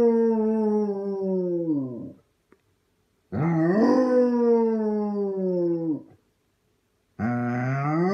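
A Basset Hound gives long, mournful howls, each drawn out for about two seconds with short pauses between.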